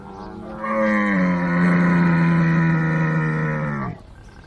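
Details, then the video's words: A camel gives one long, steady, deep bellow lasting about three seconds. It is rich and droning, with a slight drop in pitch near the end, and it stops abruptly. Faint background noise follows. "CAMEL SOUND | IL SUONO DEL CAMMELLO"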